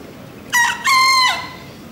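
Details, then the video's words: Bekisar in the Pratama class final of the national Pakualam Cup bekisar voice contest, Yogyakarta, 3 December 2017, giving one clear crow: a brief sharp note, then a longer steady, nasal, ringing note that fades. "SENI SUARA ALAM AYAM BEKISAR"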